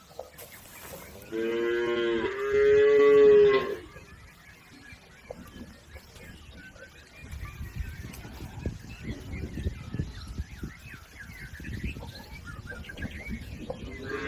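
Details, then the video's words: A herd of cattle wading a river toward the farm pen. A cow lows twice in quick succession, the second call steadier and louder, then splashing and low background noise fill the rest. "Bunyi sapi"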